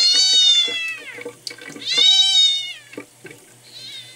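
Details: Loud, very high-pitched drawn-out meows come from Miel, a sick, dehydrated red tabby-and-white male kitten rescued at one day old. There are two long wavering cries about a second apart, the first falling at its end, then a fainter one.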